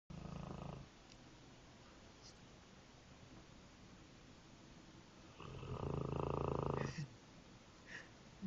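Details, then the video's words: Sleeping nine-month-old Mastiff puppy snoring: two loud, low rumbling rasps, a short one at the start and a longer, heavier one after a quiet pause of several seconds. "Mastiff Puppy can Snore with the Best"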